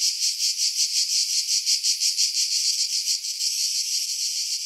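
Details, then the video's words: Cicada song from pines above the sea on Skiros Island, Greece, in July; pulsing high buzzy throbs for about three seconds, then settling into a steadier continuous shrill hiss. "Cicada Sounds, July 2018 Skiros, Greece"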